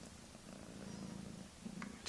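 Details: Purring mother cat beside her kittens a few weeks old, a low continuous rumble with faint pulsing, broken near the end by a couple of brief clicks.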